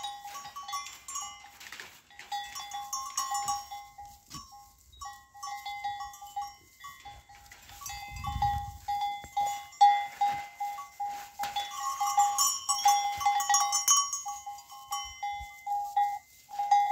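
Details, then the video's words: Goats eager to be let out, bleating over and over in short nasal, harmonic calls, several animals overlapping, with knocks, rustling and a brief low thump midway. "goats wanna go out"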